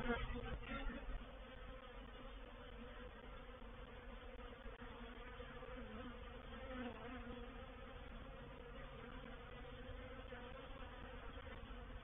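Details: Honey bee reproductive swarm entering a swarm trap at Painted Peacock Manor, 04/07/21; a continuous thick buzzing drone, even in loudness throughout, with humming bands layered low and mid-pitch.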